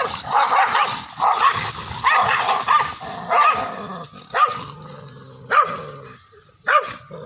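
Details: Angry Indian pariah dogs fighting: fast growling barks in a dense run at first, then single loud barks spaced about a second apart.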